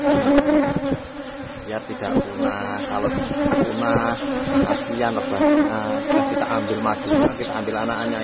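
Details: Loud droning buzz of an Asian honey bee colony in a box hive while honey is harvested, with rattling handling noises and brief human voices over the steady hum.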